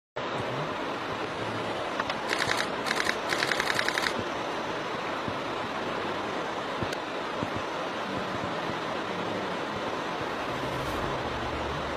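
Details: Steady broadband wind-like noise with a few quick bursts of mechanical clicking, like a camera shutter. No animal voice stands out.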